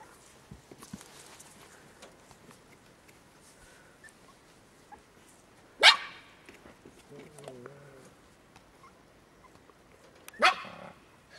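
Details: Medium German Spitz puppies playing outdoors: two sharp, loud single barks about four and a half seconds apart, with a low murmuring voice between them over quiet outdoor background noise.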